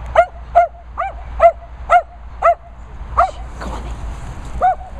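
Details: Dogs at a licensed training and boarding kennels in the Worcestershire countryside, England, where Phoebe, Daisy, Finlay, Murphy and Peppe are kept; short, sharp, tonal barks repeat about twice a second over a steady low hum.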